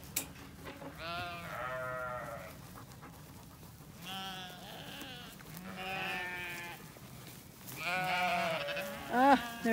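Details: Flock of freshly shorn Zwartbles sheep on a farm in County Kilkenny, Ireland, refusing to go where the farmer wants during a heatwave; several wavering bleats overlap every couple of seconds, with rustling and a final short sharp cry.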